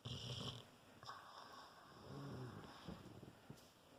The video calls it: Falco rottweiler snoring.